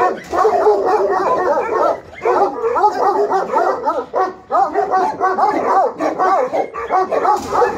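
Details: Several Alabai and Tibetan Mastiff guard dogs in Pogoanele, Buzău, Romania bark almost continuously, deep gruff barks overlapping in a dense chorus with only brief breaks.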